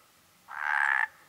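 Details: A Mediterranean tree frog (Hyla meridionalis) at a pond full of amphibians gives a single drawn-out, rasping croak lasting about half a second.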